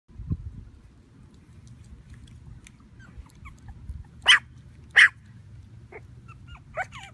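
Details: Puppies from a Havanese breeder in Plano, Texas, handled indoors: a low thump, then two loud sharp yips about a second apart, followed by a few short thin squeaks over a quiet background.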